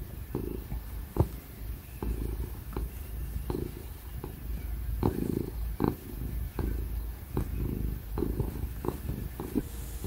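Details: Very happy ginger cat purring while getting cuddles and pats; a low rhythmic purr swelling in repeated breath-length bursts, punctuated by short clicks, over the steady whir of a laptop fan.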